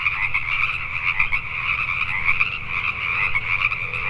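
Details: Pacific tree frogs at night in Richmond, British Columbia, Canada: a busy chorus of rapid, overlapping croaks that swells and dips slightly in loudness, with low background rumble.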